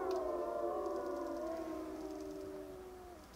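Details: Wapiti Lake wolf pack howling together; a few long, smooth tones glide and slowly fall while the chorus fades away to quiet.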